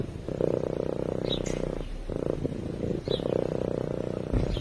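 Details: Sleeping cat purring close to a microphone: a dense, low rumbling purr in rhythmic bursts of about one and a half seconds, split by brief breathing pauses, with faint high chirpy noises above.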